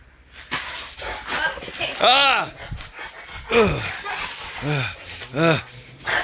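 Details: Angry male Rottweilers react to a raised aluminum baseball bat. Several loud, harsh barks with falling pitch burst out at irregular intervals, mixed with men talking and shouting over them.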